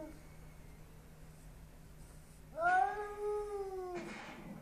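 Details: An indoor Bengal cat, hostile toward a neighbour's Persian cat seen behind glass, gives one drawn-out, harmonic yowl that rises, holds steady, then sags, lasting about a second and a half after near silence.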